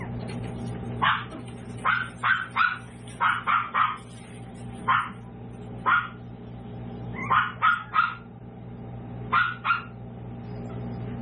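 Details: Tiny toy poodle puppies, seven weeks old, at a small home-based breeder. High, sharp yips come in quick bursts of two to four, about fifteen in all, over a steady low electrical hum.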